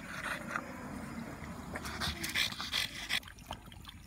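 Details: French Bulldog panting hard after a walk on a hot day, quick breathy huffs at an even pace with a few louder gasps near the end.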